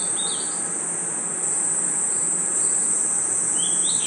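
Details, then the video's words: Steady shrill trilling of crickets and insects at night in a forest, with a short rising whistled chirp at the start and another near the end. "Forest Night Ambience 🌿 Crickets & Insects Chirping Sounds"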